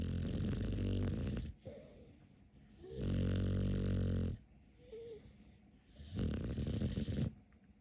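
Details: Dog asleep and snoring loudly: three long, rumbling, droning snores of about one and a half seconds each, separated by quieter breaths, indoors.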